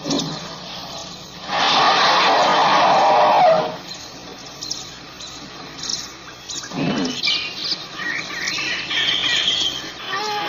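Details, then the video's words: African elephant giving a single loud, rough, blaring call lasting about two seconds. Quieter chirps and whistles from birds follow, with a short low thump in the middle. "African elephant sound effect"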